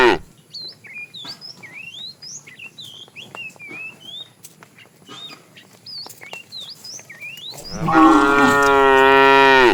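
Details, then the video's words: Calf calling while a herd of cows is driven out in the morning, wandering in search of food; lively chirping birds fill the first seven seconds, then one loud, steady, harmonic moo lasting about two seconds. "Cute sounds of calves"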